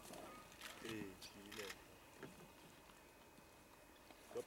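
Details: Spotted hyenas at a kill in Vumbura, Okavango Delta, Botswana: two short wavering, harmonic vocal bursts about half a second apart, then a quieter stretch with faint clicks and a brief squeak at the end.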